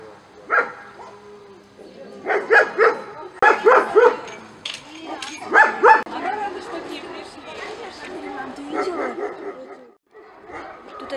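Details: Dogs at the Krasnaya Zvezda military service-dog kennel in 2017, where Moscow Watchdogs, Russian Black Terriers and East European Shepherds are bred, give loud harmonic barks in short clustered bursts, with people talking nearby.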